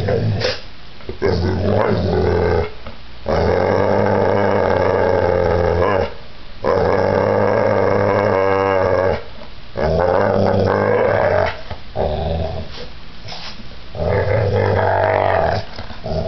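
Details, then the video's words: Pit bull in a violent attack, described as giant; long deep growls last several seconds each, separated by brief gaps, rough and rumbling, with occasional higher snarling tones. "Pitbull Attack"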